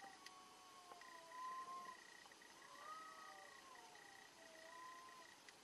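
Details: Cats fighting, fairly faint: short wavering yowls rise and fall three times across the stretch, over a constant thin high tone and low background noise.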